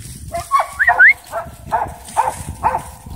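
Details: Playing dog, possibly Oreo, giving short high yips with bright arching harmonics, roughly every half second. A squeaky chirping sound rises over the first yips, and faint background noise runs throughout.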